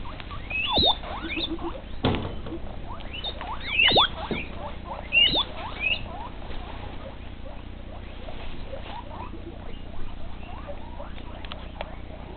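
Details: Guinea pigs, a group of females with a castrated male, at evening feeding; high whistled squeals sweep up and down in bursts near one, four and five seconds, over rustling patter and a steady low hum.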